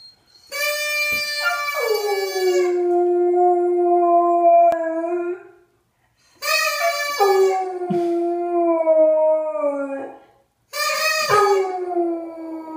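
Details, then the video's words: A pet dog, which had never howled like this before and seemed annoyed by a sound, gives long, wavering howls that start high and slide down, each held several seconds. "Howling Dog."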